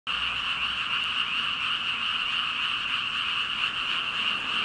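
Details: A dense chorus of thousands of unseen frogs, loud enough to carry to a village across the road, after dark: overlapping croaks merge into a steady, buzzing roar.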